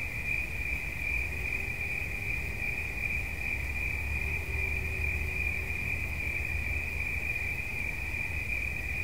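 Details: Relaxation recording of a cricket: one shrill, evenly pulsing trill runs without pause over a low rumbling background, with a faint lower hum drifting in midway.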